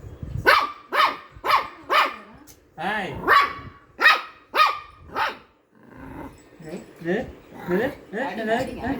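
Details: Shih Tzu at play giving rapid, insistent yapping barks roughly twice a second, with a brief pause and then softer whining yips, while a person speaks over it in Tamil.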